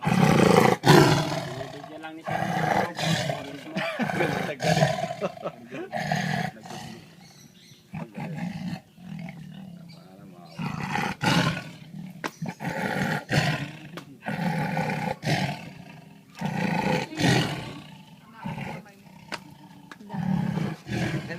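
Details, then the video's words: Lion eating pork, growling angrily to protect its food. Repeated deep, rasping roar bursts come every second or two over about twenty seconds, with people talking in the background. "Lion roaring"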